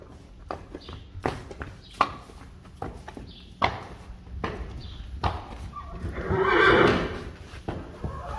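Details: Friesian horses being let out to pasture: loud knocking thuds spaced about every half second, then a broad, rough whinny swelling and fading around the seventh second.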